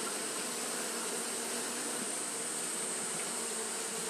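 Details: Japanese honey bees fanning nonstop in hot weather: a uniform, dense buzzing hum with a sustained thin high note and no breaks.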